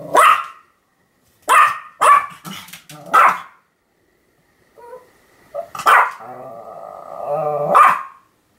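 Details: Sam the Pomeranian in a bout of continuous barking, recorded 7 October 2015: four clipped, high yaps spaced about a second apart, a short gap, then a drawn-out tonal whine-like sound and one final bark.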